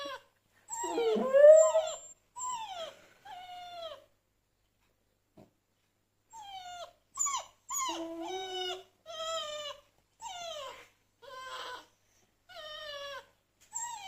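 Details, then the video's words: Dog at home reacting to recorded dog whining played on a phone, answering as if communicating; a string of short, high, falling whimpers in bursts roughly every second, with brief silent gaps between them. "Dog Reacts to Howling and Whining Sounds on Phone"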